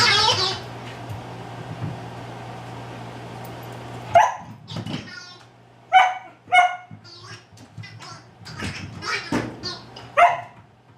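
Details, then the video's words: Lyle, a pet dog, playing indoors with his Wobble Wag Giggle ball and stuffed rabbit; short sharp barks and yips come in bursts after a steady hum, spaced irregularly about every half second to second. "Lyle and his talking ball 2 (VOLUME WARNING---BARKING)"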